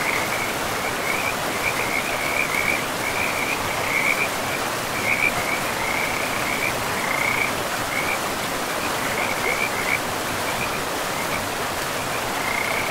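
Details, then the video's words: In a pristine forest by a river, frogs give repeated high, buzzing trills in uneven bursts, some louder and closer. Heavy, even water noise from the river fills the background throughout. "River and Frogs sleep sounds"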